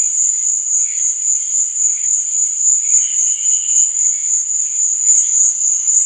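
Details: Crickets at night keep up a continuous piercing trill, quickly throbbing, layered over faint wavering lower chirps; no other animals or noise.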